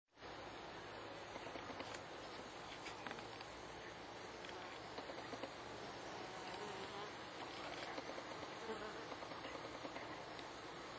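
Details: Wild bees at an underground hive among wattle trees in Sydney, recorded close up; a steady, dense droning hum of many insects fills the clip, with brief sharper buzzes of individual bees passing nearby.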